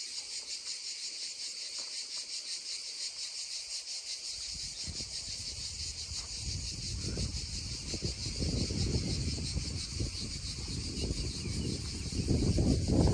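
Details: Cicadas drone beside a babbling stream, recorded in original sound: a steady, high, hissing drone runs unbroken throughout, while gurgling stream water rises beneath it from about four seconds and grows louder toward the end.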